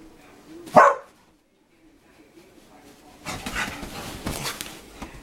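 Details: Dogs at play making funny noises: a single loud, sharp bark near the start, a brief quiet gap, then a burst of noisy scuffling and rustling.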